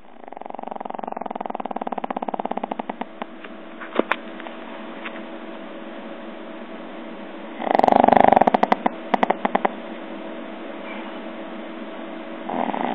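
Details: Pug snoring indoors: soft rattling pulses fade in and out over the first seconds, with a brief louder snort near eight seconds and a quieter rasp returning at the end.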